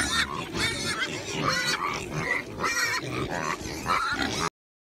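A pig grunts and oinks almost without pause, short harsh nasal bursts several times a second, with a few higher squealing notes among them.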